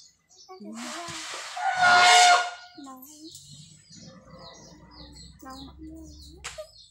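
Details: A single elephant blast, brassy and rough, swelling for under a second amid murmuring human voices, soft chirps and a low steady hum through the rest of the recording.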